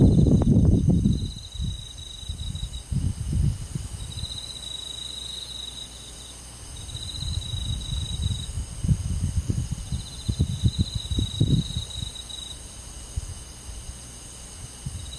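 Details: Summer-night forest crickets in the countryside give bright, high trills in repeated bursts of one to two seconds. A heavy low rumble and thuds run beneath them.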